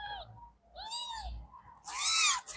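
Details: Very young kittens from a litter meowing together indoors: a thin high mew, then a clear arched meow and a louder, harsher, longer cry at the end, with soft background rustling.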